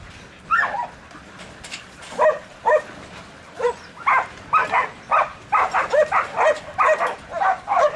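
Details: Eight-month-old Border Collie Bruiser, training on cattle in a pen in Atoka, Oklahoma, barks in short sharp bursts, sparse at first, then quickening into a rapid irregular run.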